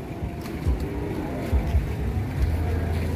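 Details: A low, steady vehicle engine rumble fills the recording, with faint murmurs and no animal call.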